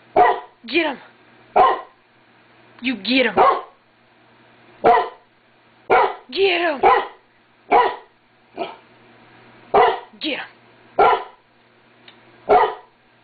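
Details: Domestic pup indoors barking at nothing, a long series of short sharp barks in irregular bursts, some doubled, over about thirteen seconds, a person speaking softly in between.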